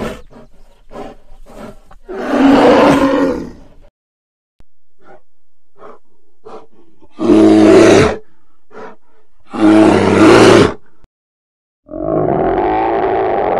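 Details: Wild polar bear sounds: scattered raspy grunts, then loud, harsh roars of about a second each, separated by pauses, ending in a longer throaty roar.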